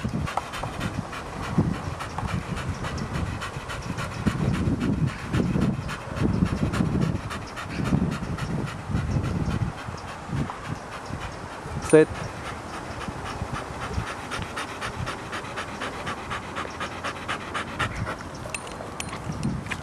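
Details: Heavy, breathy panting from a two-and-a-half-year-old male blue Staffordshire Bull Terrier, Kennel Club registered, in strong rhythmic bursts for the first ten seconds, then softer, with a sharp click partway through.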